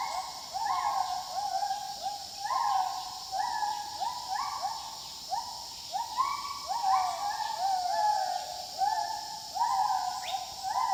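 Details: Gibbons calling in the wild give a long, rhythmic series of upward-sliding whoops from several animals, overlapping and repeated roughly twice a second. A persistent high insect whine runs underneath.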